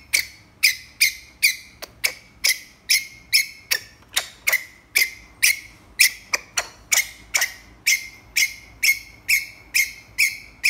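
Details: Calling for a mate, a ground squirrel gives a long, tireless series of abrupt, piercing chirps. About twenty-five notes fall at a near-steady beat of roughly two per second, with a few closer doubles.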